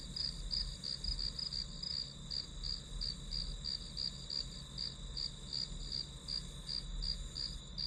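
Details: High, ringing insect chirps from grass insects, quick pulses around three per second, briefly bunched at the start, set against a soft steady hiss and low hum, played as ambient study noise.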